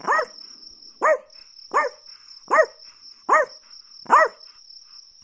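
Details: Chihuahua barking: short, sharp, high yaps with arching pitch, seven in quick succession about every 0.8 seconds, over a steady high continuous whine like a cricket.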